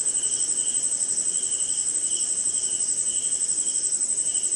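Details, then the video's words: Crickets in a dark, rainy Indian jungle. A bright continuous high-pitched ring sits above repeating bursts of lower chirping that rise and fade about twice a second, with soft hiss underneath. "Cricket & Swamp! Forest Sound"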